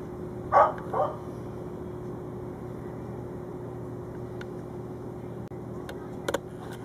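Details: Shafer, a German shorthaired pointer, barks at two young squirrels in a tree, one distracting him while the other slips away; two quick barks near the start, then steady hum with a few faint clicks.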